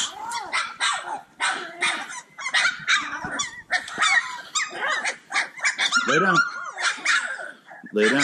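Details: Playful Cane Corso puppies in a noisy litter chorus, many high yips and squealing barks tumbling over one another almost without pause, with occasional lower growling mixed in as they play.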